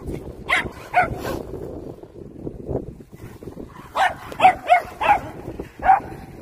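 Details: Dongbaek the poodle, excited by hunting instinct toward an RC car, gives a few barks early, a pause with low rumble, then a rapid run of five sharp barks near the end.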